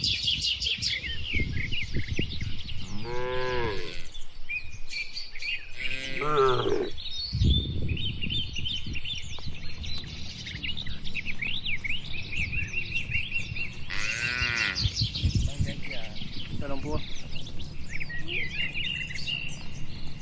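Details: Cattle eating in a quiet barn moo three times, near 3.5, 6.5 and 14.5 seconds, each a full harmonic low call; bird chirps fill the background.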